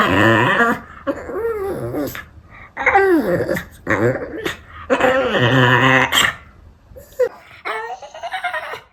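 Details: Male Pekingese rescue dog, born 2015 and a retired breeding dog, in foster care indoors, giving an early-morning alert in an unusual voice: drawn-out, wavering, howl-like yowls rising and falling in several bursts with short pauses.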